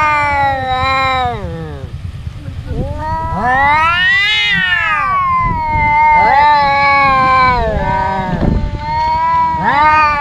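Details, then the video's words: Domestic cat brothers fighting, trading drawn-out yowls: overlapping harmonic wails rise and fall, one peaking sharply midway, followed by several shorter quavering cries in quick succession. "Cats Fighting and Meowing"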